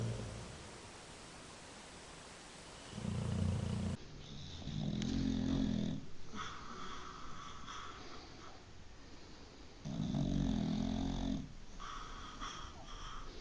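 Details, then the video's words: Dog asleep, snoring loud: low grating rumbles recurring about every three seconds, each lasting roughly a second, over faint background hiss in a small room. "Funny dog snoring loud when sleeping"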